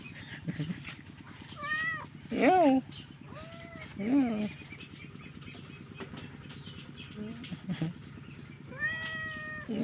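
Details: Kittens, apparently newborn and stray, crying for their mother cat in a little house she found for them; several high, arched meows rise and fall, each about half a second long, spread across the clip over a steady low hum.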